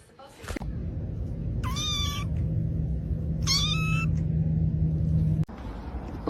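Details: Domestic cat giving two clear rising, harmonic meows about two seconds apart over a steady low indoor hum, with a short sharp noise near the end.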